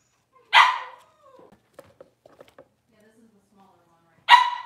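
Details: Two loud, abrupt barks from six-week-old Cavalier King Charles Spaniel puppies, roughly four seconds apart, while they are dewormed and their nails trimmed; soft clicks and faint murmurs fill the gap between them.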